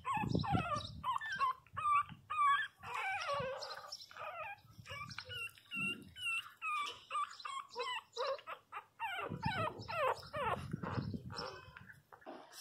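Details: Pinscher puppies at 22 days old whining and squealing loudly in a long, uneven run of short high cries, some wavering, with low bumping and rustling at the start and near the end.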